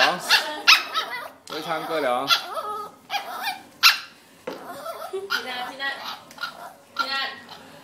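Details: A pet dog on her second birthday joins in as people sing the birthday song, giving wavering, whiny howls and short yelping bursts between sung phrases; human voices and singing run throughout.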